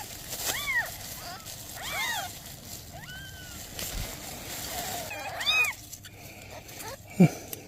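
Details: Mother cat with newborn kittens, asking for help: four or five arching, harmonic meows spaced about a second or two apart, with a soft thump near the end over a low outdoor rumble.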